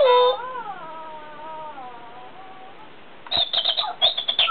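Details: Chihuahua reacting to an alarm clock sound indoors: a wavering, howl-like whine that slides up, then gradually sinks over about two and a half seconds, followed by a burst of sharp, rapid pulsing sounds.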